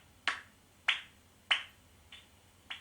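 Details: A reference bat-detector recording of a common noctule, one of the largest and loudest UK bats, echolocating: loud, slow, dry smacking clicks spaced about half a second apart.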